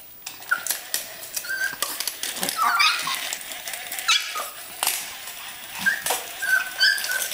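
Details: Yorkshire Terriers attacking spiders indoors: thin high whines and whimpers break out in short bursts over several seconds, mixed with scratchy clicks, taps and rustling.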